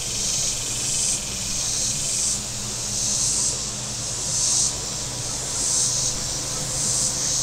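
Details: Warm-day cicada chorus on the Table Rock Lake shoreline, southern Missouri: a bright, rasping, high-pitched buzz rising and falling in regular surges about every second, with boat engine drone underneath.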